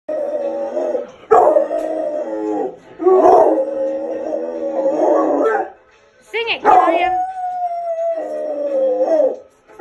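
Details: A Rottweiler howls along to the Cops theme song in long, wavering, sustained notes broken by short pauses.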